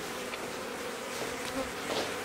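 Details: Dense, close humming drone from a bee hive inside a house in Aderet during its removal, continuous and unbroken for the whole short stretch.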